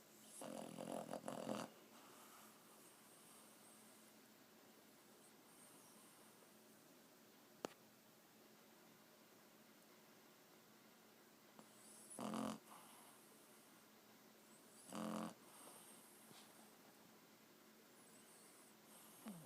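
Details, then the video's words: Quiet snoring from a sleeping four-month-old Boston Terrier puppy: a long raspy breath at the start, then mostly quiet hiss with two short rough snorts later and a single sharp click. "Snoring Boston Terrier puppy"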